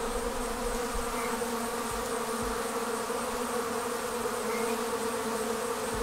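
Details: Steady, even drone of a departing honey bee swarm leaving the hive. The many-toned hum holds constant throughout, with a bright band in the middle pitch range and almost no background disturbance.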